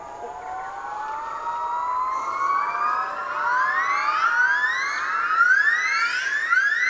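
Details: In the forests of Indochina, yellow-cheeked gibbons (Nomascus gabriellae) in family groups give a loud, deafening morning territorial call from the canopy: rising whooping notes that come faster and climb higher as the call builds.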